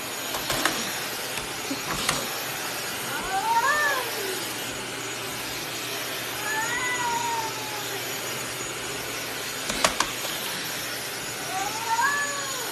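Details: Angry cat gives three separate short meows, each bending upward then falling, spaced three to four seconds apart over a steady background hiss with occasional sharp clicks.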